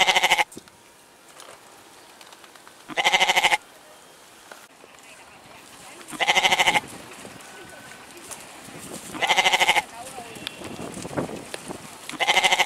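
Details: Goat bleating in short pulsed, quavering bursts about every three seconds, five calls in all, with quiet background noise between them.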